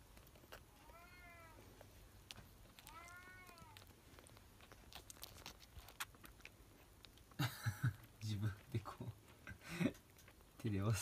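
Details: Young kitten being bottle-fed milk indoors, two clear harmonic mews early on, each arching up then down, followed by a burst of close human talking and rustling.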